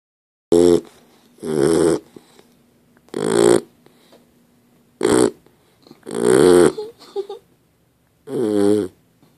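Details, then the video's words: Dozer the dog snoring while asleep: six rough, rasping snores of uneven length, spaced one to two seconds apart, with a faint hum between them. "Dozer snoring"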